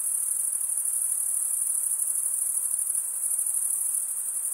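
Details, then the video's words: Continuous chorus of crickets: an unbroken, shrill, high trill with a fine rapid pulsing, holding an even loudness throughout, with nothing else audible. "Most relaxing cricket sound for 8 hours"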